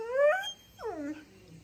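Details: A female dog whines in a small room, making two drawn-out vocal sounds as if talking: the first rising and then falling, the second sliding downward, with a man's voice around them.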